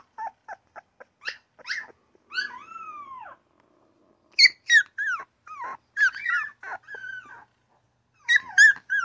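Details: A newborn puppy gives soft short grunts at first, then a drawn-out falling whine, followed by clusters of sharp high yaps and wavering cries with brief silences between.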